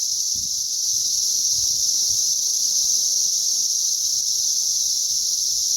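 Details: Cicadas during a mass hatch on May 20th 2034: a dense, unbroken high-pitched droning hiss from many insects, steady in loudness throughout, with only faint low rumbles beneath.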